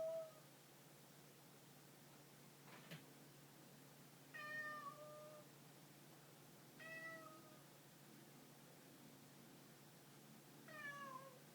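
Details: Domestic cat giving several quiet, short meows spaced a few seconds apart, some slightly falling in pitch at the end, against a low steady hum with one brief thump early on.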